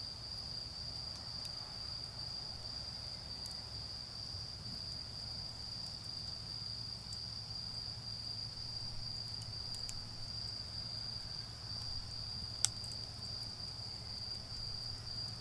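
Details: Autumn insect chorus in a garden where a bonfire burns: a constant piercing trill holds steady for the whole stretch, punctuated by occasional sharp crackles and one loud pop, over a low steady hum.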